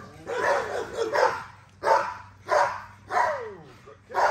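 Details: Female XL American Bully worked during exercise, giving irregular barks with a roughened first burst, then spaced single barks, one trailing into a falling whine-like tail.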